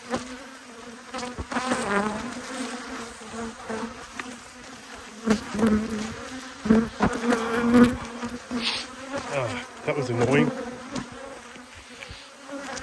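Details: Honey bees from two hives, cross at being inspected, recorded 5 March 2022; a dense, steady droning buzz at a low pitch that swells and surges irregularly as the bees grow louder, with sharper bursts of wingbeat noise throughout.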